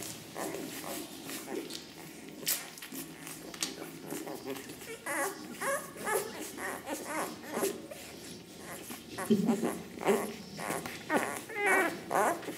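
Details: Ten-day-old Ca de Bou puppies from the litter of Ivi and Tito give short, high whining squeaks scattered through the clip, some rising and falling, over steady human talk and rustling handling noises.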